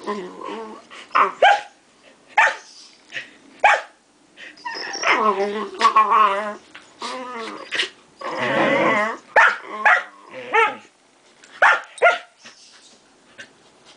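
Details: Two puppies play-fighting indoors, a 5-month-old Samoyed and a 9-week-old Great Dane: a busy mix of short sharp barks, throaty growls and longer whining yowls in irregular bursts, with brief quiet gaps between them.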